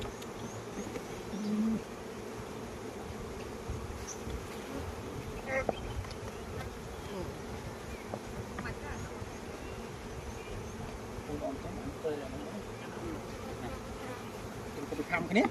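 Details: Honey bees swarm around a Khmer farm's hives during the flowering season, giving an even, unbroken low buzz with occasional faint clicks and small chirps mixed in.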